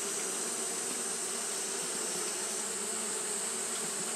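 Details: A short stretch of Japanese honey bees fanning on a hot day: a constant low hum with an unchanging high-pitched hiss above it.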